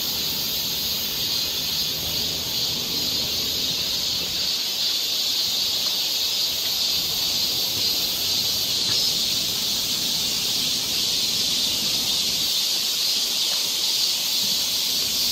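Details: Summer cicada chorus on a forest trail in Seoul, Korea, an unbroken shrill hiss-like buzz that stays level in loudness for the whole stretch, with little else audible besides faint low rustles.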